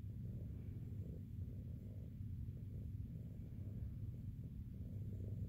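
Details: Jiji, a big fluffy female shelter cat at SBACC, purring while being handled for matted fur; steady low rumbling throb pulsing about twice a second throughout.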